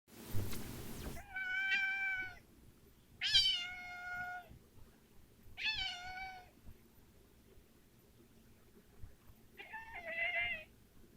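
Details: Domestic cat making weird sounds: four harmonic meows at about two-second intervals, each a steady tone with a slight rise then fall, the last shorter and wavering; a loud broadband noise burst opens the clip over low room hum.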